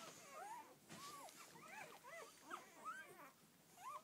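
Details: Rhodesian Ridgeback pups from their mother's first litter of twelve whine in quick arched squeaks that rise then drop, several overlapping, one brief thump of handling noise near the start.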